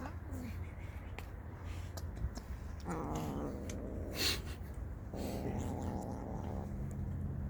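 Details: Street cats fighting out of hunger produce two harsh, buzzy, harmonic-rich growling yowls, each lasting over a second, separated by a brief pause, with a low background rumble and a faint noise burst.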